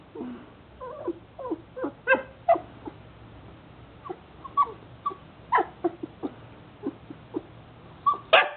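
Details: Jomon Shiba Inu during wait training, whining with soft whimpers and thin yips spaced about every half second, with a louder yelp at the end over a quiet background.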